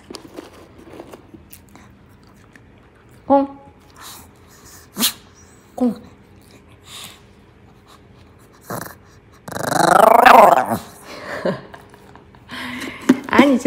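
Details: Maltese named Jaerong, a pet dog indoors, playing fetch with a ball while its owner coaxes it in Korean; short high yelps, then a long, loud, wavering growl-like warble, with the owner's voice throughout.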